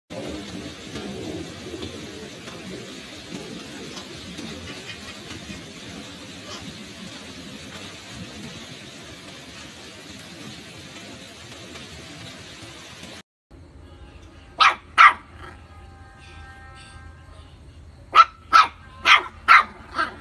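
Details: A black mixed-breed village dog in southern Vietnam's Mekong region gives a few short, sharp yelping barks after a stretch of steady traffic rumble.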